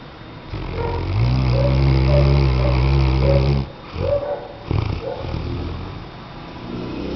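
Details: Snoring Weimaraner called Tchesco: one long, loud, droning inhale with stacked low harmonics lasting over two seconds, followed by shorter rough snorts and a fading breath.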